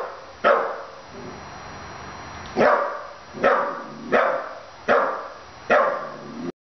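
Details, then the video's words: Young puppy of 15 weeks barking at a stuffed animal dog: after one bark and a pause, five loud, sharp barks follow in a quick run, roughly one every 0.7 seconds, over faint background hiss. "barking at a stuffed dog"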